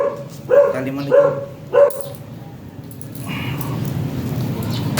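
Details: Shih Tzu dog at a stud service in San Jacinto, Pangasinan, gives three quick sharp barks about half a second apart, then a quieter stretch of background noise.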